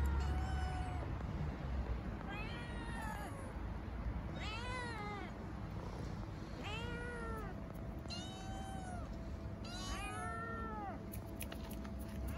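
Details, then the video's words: Starving stray kittens on an Istanbul street meow for food and affection: a run of short arched harmonic meows, five or six calls roughly every two seconds, over steady low traffic rumble. "Starving street-dwelling kittens meow for food and affection"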